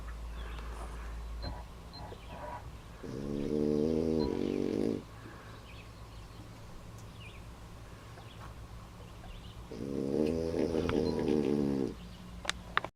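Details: A French Bulldog, worn out after a day of fishing, snores in a boat in long, rasping, buzzy breaths over a steady low hum.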